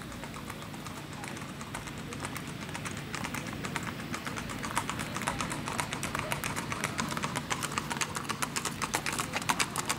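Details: Strawberry roan Tennessee Walking Horse stud ridden by a little girl on the 2nd Annual Ladies Trail Ride in Macedonia, Texas: sharp, regular clopping hoofbeats about two per second, growing louder toward the end, over a murmur of voices.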